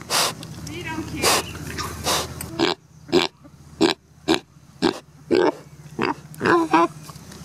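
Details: Neil the pig building a nest for a comfortable place to sleep, giving short grunts in quick succession, roughly one a second, over steady background music and some speech.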